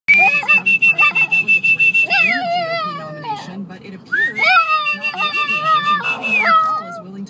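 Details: Archie the puppy whines in protest at a whistle: a steady high whistled tone runs alongside wavering, stepped, nasal cries that rise and fall, with short rapid pulses at the start.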